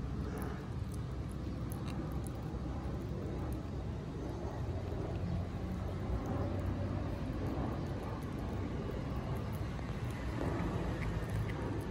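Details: A steady low rumble of passing vehicles or aircraft fills the outdoor scene, with no animal voices heard.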